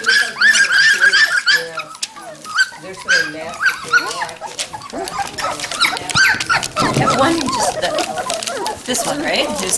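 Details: A crowd of young Standard Poodle puppies, from litters aged three and five weeks, at a kennel visit near Columbia Falls, Montana, November 22, 2013. They make constant squeaky whines and short yelps, while a woman coos and talks.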